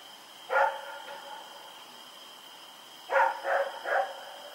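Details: Dog named Rex running around at night, recorded October 7, 2018; a single bark, then after a pause a quick burst of three barks, over a steady high-pitched electrical whine.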